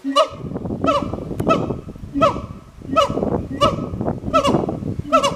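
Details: Two captive siamangs, an endangered gibbon, calling back and forth at Hirakawa Zoo in Kagoshima, Japan; loud, hoarse barking hoots with strong overtones repeat steadily, roughly every second, each with a short ringing tail.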